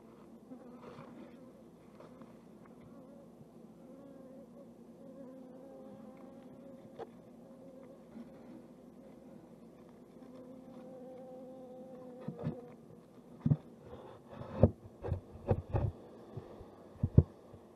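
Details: Japanese honeybees inside their hive box make a steady, low droning hum with a faint higher overtone. It continues throughout, and a series of sharp knocks and taps comes near the end.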